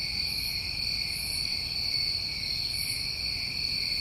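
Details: Summertime crickets in New England keep up a constant shrill trill on two stacked pitches, while brief airy buzzes flare above them about twice a second. No other sounds stand out.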